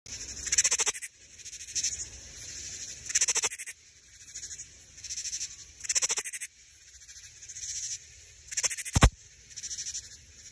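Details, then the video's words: A male Central Texas leaf katydid (Paracyrtophyllus robustus) at Phil Hardberger Park stridulates to attract females, giving harsh, pulsed rasping bursts every couple of seconds over a steady insect buzz. "Katydid Call"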